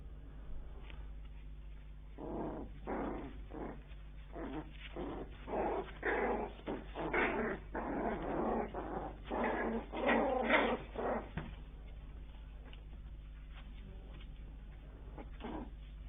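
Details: Bichon Frise puppies indoors after birth, giving a run of short whiny squeals and grunts in irregular bursts over several seconds, then quieter, with a steady low hum underneath.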